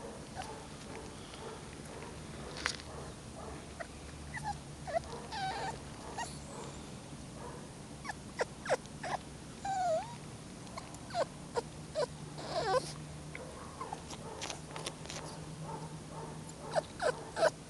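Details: Jack Russell Terrier puppies whimpering, with short, thin, high squeaks scattered through the recording, clustering around eight to thirteen seconds, over a steady low hum and occasional clicks and knocks.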